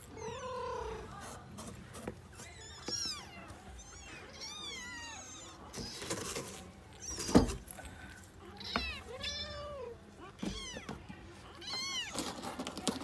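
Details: Five tiny kittens with a new box mewing again and again, high arched and rising-falling cries with rich harmonics overlapping one another, among bumps and scratching knocks.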